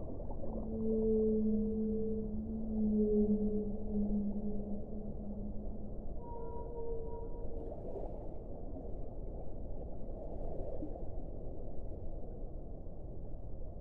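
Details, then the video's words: Whale moans held for several seconds, a low tone with a harmonic above it, then a brief higher wavering note before fading into steady deep underwater hiss and rumble. "1 ora di suono delle balene"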